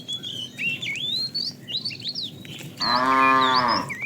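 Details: Tame herd moving to fresh pasture; after a few seconds of bird whistles, a single deep moo lasting about a second ends the recording.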